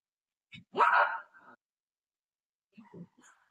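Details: Golden Retriever at play with its owner gives a short yip, then one loud, harsh bark lasting about half a second, followed by faint voice sounds.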